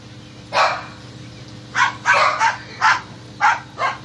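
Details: Squirrel-hunting dogs bark in short, loud bursts: one bark, a pause, then about six more in quick pairs and singles against a quiet background.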